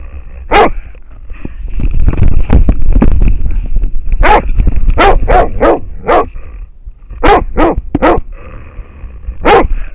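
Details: Baying at a wild boar by an American foxhound: sharp, loud barks repeated quickly, several in quick succession, with low rustling and rumbling noise between them.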